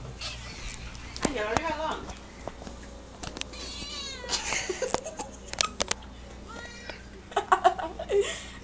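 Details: A pet cat meowing during play: several short, harmonic meows, some rising then falling, scattered through the clip. A person talks over them throughout with repeated sing-song phrases.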